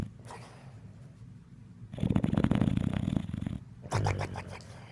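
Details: Snoring from a dog asleep: a soft rasp, then a loud, low, fluttering snore lasting about two seconds, followed by another shorter rumbling breath.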